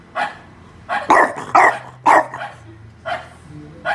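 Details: Another dog's barking played back to a French bulldog to test his reaction; a series of sharp, short barks in uneven bursts, with a low droning hum beneath.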